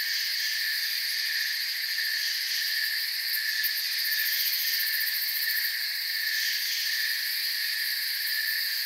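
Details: Forest crickets massed in an unbroken, high trilling drone, several stacked tones holding level throughout, faint rapid pulsing near the top of the range; nothing else clearly heard.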